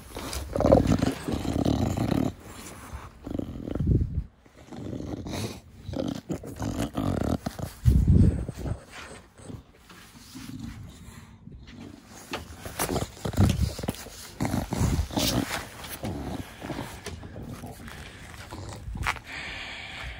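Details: Bulldog Da Vinci, a brachycephalic pet dog, cuddled outdoors in a garden: heavy, throaty fugo-fugo snorting breaths, low and rasping, coming in irregular clusters with brief pauses and soft handling noise.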